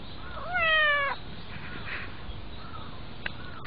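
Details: A pet cat being petted gives one clear, rising then level meow with strong harmonics lasting about half a second, followed by quieter faint murmurs and a couple of sharp clicks near the end.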